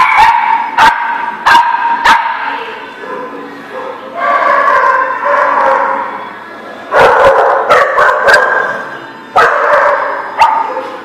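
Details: Several dogs barking at once in a rapid, overlapping chorus, with sharp yips over sustained, wavering cries, continuing almost without pause.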